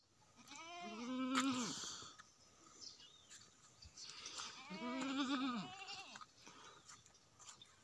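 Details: Saanen goat, a high-yielding dairy breed with a big udder, calling during milking: two drawn-out, wavering bleats, each about a second long, separated by a few seconds of quieter background sound.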